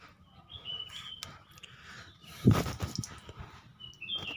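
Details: A baby otter being bathed gives thin, high chirping squeaks, with a splash and people talking nearby.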